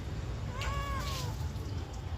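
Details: A responsive pet cat answering its owner in a back-and-forth conversation gives a single drawn-out meow that rises and then falls, with low background hum throughout.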